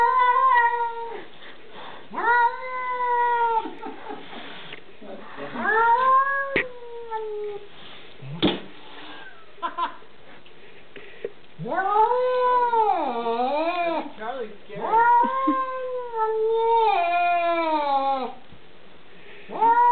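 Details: Domestic cat attacking a dog through a window, pouncing at the glass: long, loud, wavering caterwauls with rich harmonics, rising and falling in drawn-out yowls of one to three seconds, repeated in a steady series, with short gaps, thumps and a brief voice.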